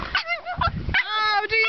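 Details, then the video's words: Young pug, seven months old, giving strange vocal noises: several short squeaky bursts followed by a longer steady whining tone, then another brief squeal, with low bumps and rustle underneath. "Pug makes crazy sound"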